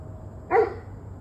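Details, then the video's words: A single short, abrupt dog bark recorded on the evening of 21 November 2023 at about 7:06 pm, standing out against a low rumbling background. "Barking Dogs"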